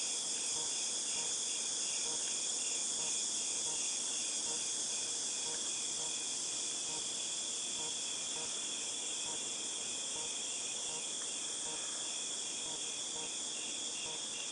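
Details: August 2018 cicada chorus: a steady ringing high-pitched hiss that never lets up, overlaid by a lower buzzy pulse repeating roughly three times a second.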